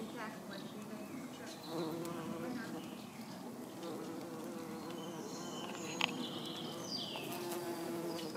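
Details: Red-tailed bumblebee (Bombus lapidarius) visiting purple toadflax flowers: a steady low droning buzz with wavering pitch and stacked overtones, rising slightly in loudness partway through, with faint high chirps in the background.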